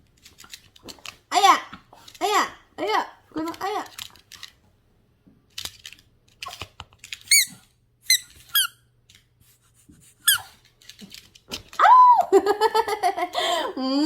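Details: Yorkshire terrier Gona welcoming returning family at home: repeated arched, high whimpering squeals spaced about a second apart, then a long, wavering, yelping whine near the end, with a person's voice in between.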